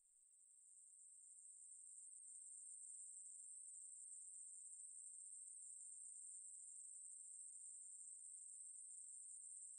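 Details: Ruspolia katydid song that swells in over the first two seconds, then settles into a sustained, very high, even buzzing drone without pauses. No other sounds are present.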